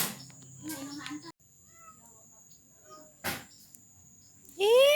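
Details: A mother village cat in Indonesia gives a loud, rising meow to call her kittens after some human chatter.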